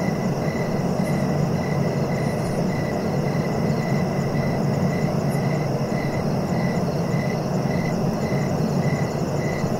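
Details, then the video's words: A cricket repeats brief, regular chirps roughly every three quarters of a second while a constant deep rumbling hiss fills the background. "Relaxing cricket sounds for sleeping"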